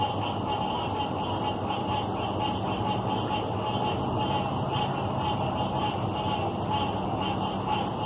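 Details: A dense chorus of frogs at a lake on 16 August 2018 trills steadily, the many voices merging into one unbroken, pulsing hum.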